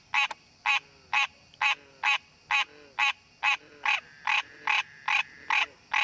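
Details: Calling for a mate, a wild green tree frog in its natural habitat gives rapid, regular nasal quonks roughly every half second; fainter, lower rising croaks sit between them, and a thin constant hum runs throughout.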